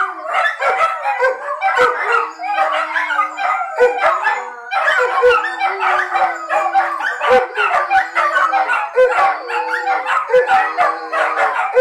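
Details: Group of pet dogs left behind while the owner steps out to the shop, howling in chorus from separation anxiety; long sustained wavering howls layered over one another, with short yips and barks punctuating every second or so.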